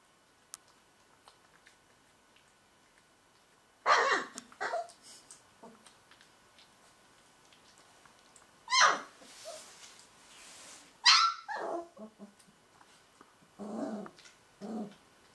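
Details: Two Northern Inuit Dog puppies, Tikkon and Red, filmed at Christmas 2011, give short sharp barking bursts in a small room, spaced by several seconds of quiet, with a few softer yips between.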